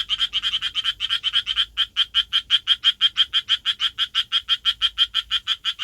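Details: Urban Japanese tree frog courting, its throat inflating and shrinking as it calls: loud, steady, grating croaks at about three per second, with a brief quicker burst at the start and a quiet background.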